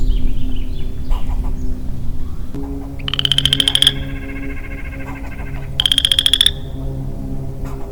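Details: Male western chorus frog alone in springtime woodland, 4 April 2022: a pair of buzzy, rising pulsed trills nearly three seconds apart, over a low droning hum and faint chatter from other creatures.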